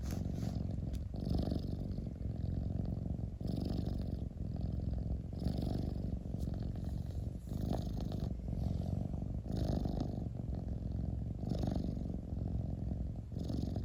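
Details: Long, even purr from a domestic cat: a rumbling drone rising and easing in a regular breathing rhythm about every two seconds, steady throughout with slight rattling texture.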